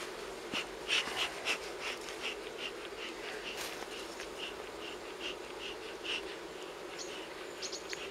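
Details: Steady buzzing drone of a wild honey bee colony, smoked while its nest is moved from a fallen tree in the forest into a hive near Kiev, Ukraine; short high chirps repeat over the hum.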